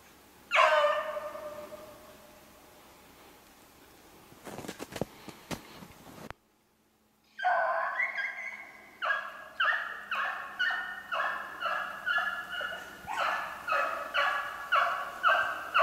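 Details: Beagles running a snowshoe hare, recorded 3/8/16: one drawn-out bay, handling noise and a silent gap. Then rapid rhythmic baying, about two barks a second, sustained to the end.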